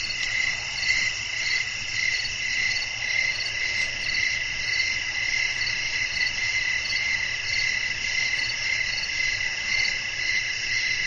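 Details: Crickets chirping at night amid blowing wind, a calm natural nighttime ambience for sleep: steady high buzzy trilling bands in a continuous shimmering chorus with soft low rustling beneath.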